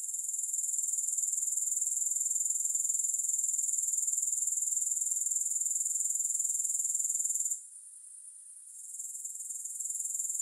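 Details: High, sizzling pulsed trill of grasshoppers beating about four times a second, pausing for about a second late in the clip before resuming; soothing sleep recording without music.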